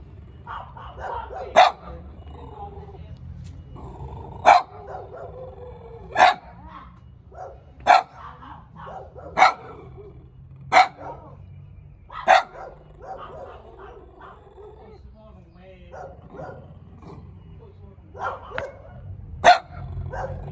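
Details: Cute small dog barking repeatedly, about a dozen sharp, punchy barks spaced one to three seconds apart, with quieter yaps and a low steady hum in between.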